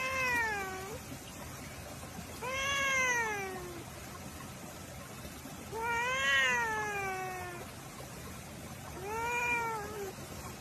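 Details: Cat in a compilation of funny cat reactions, calling four long, wavering meows that rise and then sag in pitch, separated by pauses of two to three seconds over a constant hissing background.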